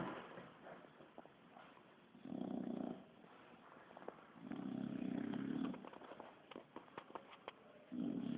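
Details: Kiára the Bulldog sleeping, producing rasping snore bursts at irregular spacing, three snores with quieter breaths and scattered sharp ticks and rustles in between.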